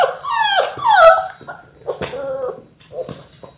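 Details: Labrador Retriever puppies in their sixth week, from a litter of six born January 18, 2022: high, wavering whimpers that slide down in pitch, then shorter yelping whines with soft knocks and rustles between them.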